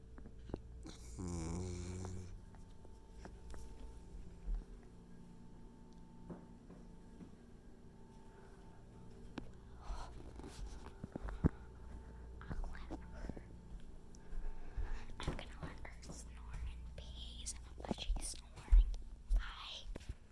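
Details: Two sleeping puppies, Layla and Boaz, snoring indoors: deep, low rumbling breaths that come irregularly, mixed with soft rustles and small clicks of movement.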